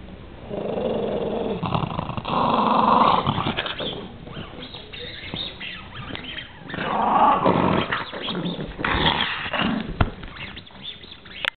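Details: A pet dog growling fiercely, harsh grating rumbles in long surges lasting several seconds each, rising and falling in loudness with brief pauses between bouts.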